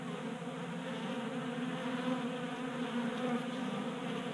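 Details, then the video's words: Honey bees feeding at a 3D printed table-top feeder in a Colorado garage during a warm January spell. Many wings merge into a steady low hum with a brighter droning overtone, unbroken throughout. "Honey Bees Feasting from 3D Printed Bee Feeder"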